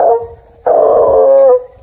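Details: A Redbone Coonhound, a scent hound from a rescue in Kingston, Ontario, bays with a short drawn note, then a longer, loud, mournful bellow.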